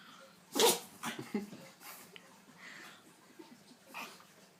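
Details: Sneezing pug: one loud, sudden burst of breath, followed by smaller snuffling and snorting exhalations fading out over the next few seconds in a quiet room.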